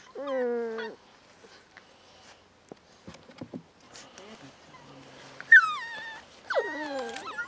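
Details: Beagle puppies of litter F, seven weeks old, give high, drawn-out whines. One long steady cry opens the clip, then quiet shuffling, then two sharp sliding squeals close together near the end.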